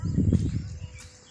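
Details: Camel with its legs shackled so it cannot walk, eating vines outdoors in the countryside. A short, low, rough grumbling burst with pulsed throaty rumbles, strongest in the first half-second, then fading into quiet rural background.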